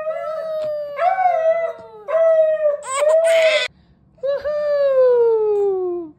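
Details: Family Siberian Husky howling along as a mother sings to her newborn baby; long drawn tonal howls held steady then sliding downward, in several phrases with short gaps, mixed with human voice and a brief harsh burst midway.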